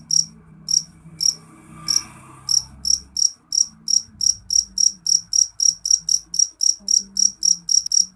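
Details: A jeliteng cricket chirps loudly, its high, piercing pulses starting slightly spaced and then quickening to nearly four per second, with faint low rumbling behind.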